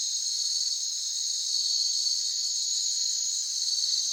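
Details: Crickets in natural ambience, a continuous high shrill trill in two steady bands with a faint shimmering pulse, unbroken throughout, with no other sounds.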